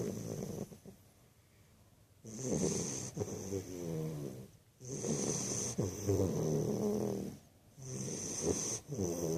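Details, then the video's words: Sleeping American Bulldog puppy snoring in long breaths, each raspy, harmonic-rich rumble lasting one to three seconds, separated by brief quiet pauses, with a steady high electrical whine in the background. "American bulldog puppy snoring"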